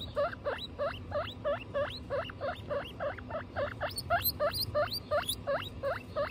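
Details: A guinea pig from the household of Butter and her young Lion, Tofu and Mochi gives a rapid run of about eighteen high, upward-sweeping squeals, some doubled, against soft low-pitched background noise.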